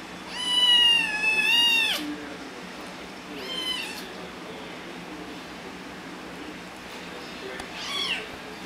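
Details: Pet cat Tehya or Yeneos, nicknamed Squeak, calling indoors: two loud long meows wavering in pitch, then a shorter one and a faint final meow, with quiet background hiss.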